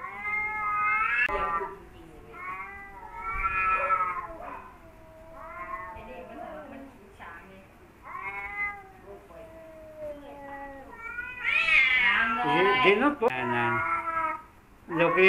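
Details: Two rival male domestic cats that were never friends, yowling at each other: a long series of wavering, harmonic-rich howls rising and falling, growing louder and harsher toward the end, with a faint murmur of voices.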